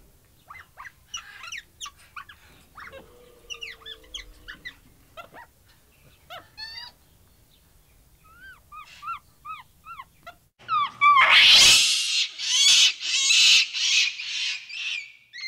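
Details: Capuchin monkey: soft scattered chirps and twittering whistles at first, then abruptly loud, harsh screeching bursts repeated about once a second to the end.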